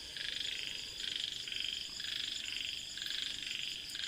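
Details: Frogs calling at night, heard from inside a tent pitched in a giant pit near a mountain at a quiet, eerie campsite. High, pulsed trills come in bursts roughly every half second to second over a steady chorus.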